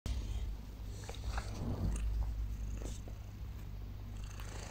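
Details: Domestic cat purring loudly on waking in the early morning on a blanket: a continuous low rumbling throb with steady pulsing, a few faint rustles and soft clicks above.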